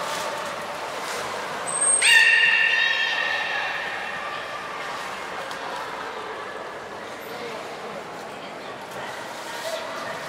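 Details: Nana, a beluga in training at Port of Nagoya Public Aquarium on 13 April 2019, gives one short harmonic squeal around two seconds in, rich in overtones, then the sound trails off into steady background noise and faint murmurs.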